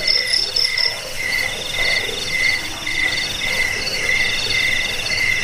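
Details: Crickets heard as a rat-repelling, sleep-inducing and bird-training sound; a lower trill chirps in short repeated bursts roughly twice a second over a continuous high, buzzy background chorus.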